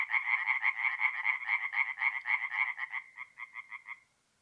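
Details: A tree frog sings at night by a forest pond in north-east Italy in mid-April. It gives a fast series of loud, rasping notes, about four per second, that weaken and thin out before stopping after four seconds.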